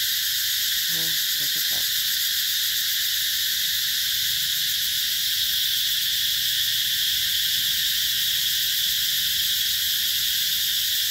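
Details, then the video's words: A Mekong Delta garden at Mỹ Luôn, Vietnam, rings with a summer 2021 cicada chorus. The high shrill buzz is steady throughout. Early on, a short burst of low rapid pulses cuts in, then a single lower knock. "tiếng ve gọi hè"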